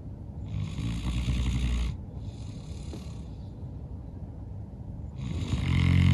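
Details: Exhausted after playing outside all day, St. Bernard Norman snores in his sleep: a rough, low snore, a gentle hissing breath out, then another deep snore rising at the end.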